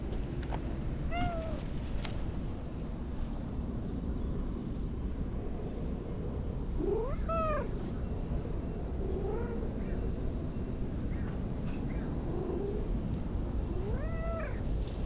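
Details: An orange-and-white cat in a park, invited to play and following along to a park bench, gives several short, rising-then-falling meows spread across the clip, some faint and some clear, over steady low outdoor background noise.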